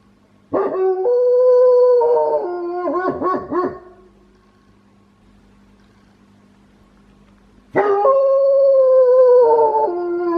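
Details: House-kept wolfdog with a strangely quirky cry: a howl that wobbles into broken, yodel-like warbles and then stops. A quiet pause of about four seconds follows before another sustained, gently falling howl begins.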